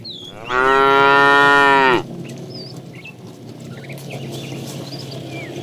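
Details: Morning herd of tame cows running to green pasture; one drawn-out, steady harmonic moo lasting about one and a half seconds, followed by quieter ground noise and faint bird whistles.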